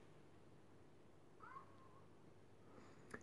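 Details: A naughty house cat lets out a single quiet, slightly falling meow against low indoor hum, followed near the end by a brief sharp click.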